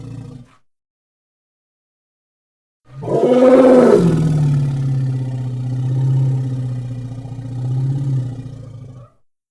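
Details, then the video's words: An elephant bursts into a harsh roar that quickly settles into a deep, sustained rumble, rising and falling in loudness over about six seconds before stopping. "Elephant Sound Effects Vol 2"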